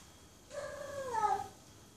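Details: A female cat in heat gives a single mate-calling meow lasting about a second, a clear harmonic tone that starts low and bends upward before easing down at the end, with a faint background hiss.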